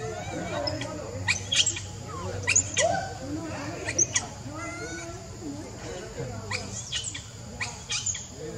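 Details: Baby monkey named Leo, hungry and begging its mother for milk: high, thin squeals and chirps in short bursts with brief rising slides, scattered unevenly among lower murmuring sounds and a steady hum.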